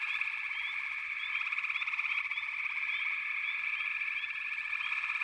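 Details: Massed frog voices form a steady, pulsing drone, overlaid by repeated brief rising chirps at a higher pitch, several each second.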